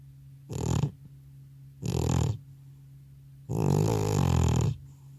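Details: Elderly male house cat, worn out after a trip to the vet, snoring in a small room; three harsh, grating snore breaths, the last stretched over a second, with quiet gaps between. No separate microphone used.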